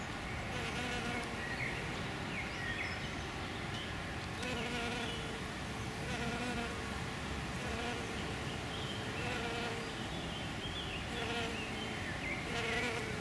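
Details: Hairy-footed flower bees, males and a female, feeding on Green Alkanet flowers: a steady low droning buzz with pitch wavering as the bees move between blooms, with faint bird chirps in the background.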